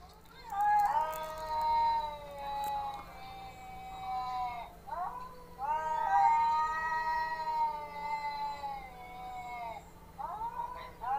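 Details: Pet cats fighting, drawn-out wailing howls with rich harmonics, long sustained yowls around two and seven seconds that waver and bend, rising and falling, with a shorter cry near the end; low background hum throughout.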